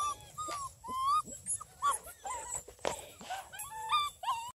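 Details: Six-week-old female Redbone Coonhound puppies from one litter, near Kingston, Ontario, Canada, whimper and whine in high, wavering cries that overlap one another.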